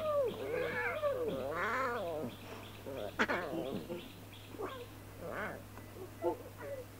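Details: Lion cubs at play in the wild, giving a run of drawn-out, wavering harmonic mews that rise and fall, followed by shorter, sharper yelps against a constant low hum.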